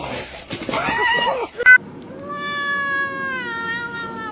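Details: Domestic cat giving a long, steady, drawn-out meow with a rich harmonic tone, held for about two seconds after a burst of human talk and a short sharp noise.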